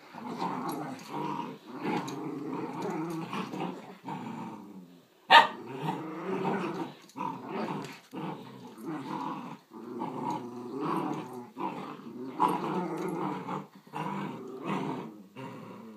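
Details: Two Schnauzers, a giant puppy and a grown miniature, playing together: continuous throaty growls and snarls in short overlapping bursts, with one sharp bark-like burst near the middle.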